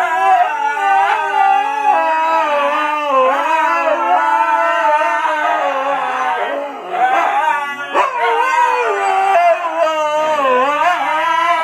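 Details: Birthday chorus by five Siberian huskies, woo-ing for their owner: dense, continuous layered howls that waver up and down, with several voices overlapping and swelling throughout.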